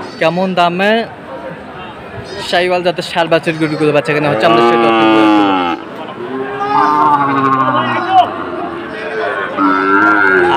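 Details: Sahiwal bull calves at the Aftabganj cattle market, 23 March 2024, where a Noakhali farmer is buying: several drawn-out, harmonic moos, some long and level, others rising, over steady crowd chatter and nearby voices.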